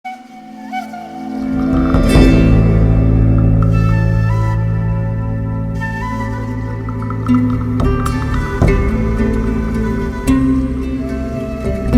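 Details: Sustained ambient music with flute-like tones and a steady low drone fills the whole stretch, with a few sharp clicks; no cat sounds are distinguishable.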